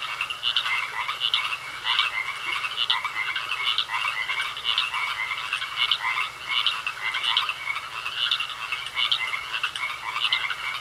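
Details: Frogs croaking in a pond: a dense chorus of raspy, pulsing croaks in the upper-middle range, repeating roughly twice a second, overlapping callers with a steady high trilling tone running underneath throughout.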